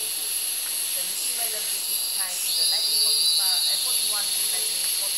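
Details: Cicadas in the rainforest of Gunung Gading National Park, Lundu, Sarawak, Borneo: a steady, shrill, unbroken drone with a piercing high whine over a lower hissing layer that swells slightly midway, plus faint softer chirps beneath.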